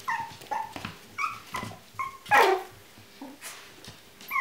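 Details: Whining Chinese Crested puppies indoors give short, high, downward-sliding whimpers in quick succession, broken by one louder, harsher yelp midway, with soft snuffling sounds between calls.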